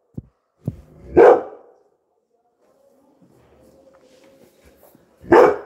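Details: Labrador Retriever called Coco barking at people who came; two loud single barks four seconds apart, with a faint steady hum and light clicks between them.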